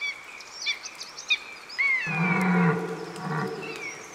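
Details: Red deer bellowing during the October rut. Thin whistled bird notes come first. After about two seconds a single low, harmonic, moaning bellow lasts roughly a second and a half, then fades while faint birdsong continues.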